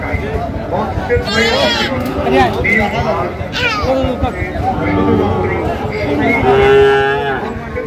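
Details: Sahiwal bull at the Ambari cattle market (haat), 27 June 2025, being bought for a Phulbari farmer: several drawn-out, harmonic lowing moos rise above steady crowd chatter and men bargaining over price.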